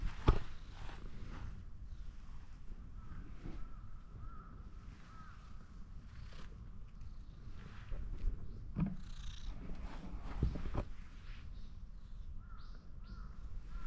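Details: Orange tabby cat that climbed onto a fence, appealing to be petted more; a steady low rumbling purr runs throughout, broken by sharp handling clicks and rustles, with faint higher tonal chirps drifting in the background.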